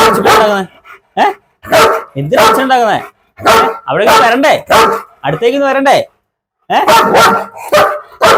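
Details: Barking German Shepherd in Perumbavoor, Kerala: a series of rough, broadband barks in irregular bursts with short pauses, overlapping with people talking.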